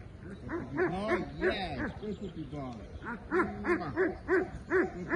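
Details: Loud, rapid barking from a Belgian Malinois starting executive protection work. Clustered harsh barks come roughly three per second, with a brief lull midway, then a steady burst of evenly spaced barks.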